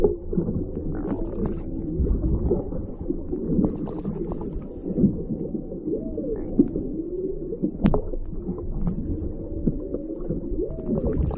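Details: Whale heard underwater through a microphone lowered from a whale-watching boat off Maui: a series of smooth tonal moans rising and falling in arcs, some upswept, others drooping, over a constant rumbling underwater hiss.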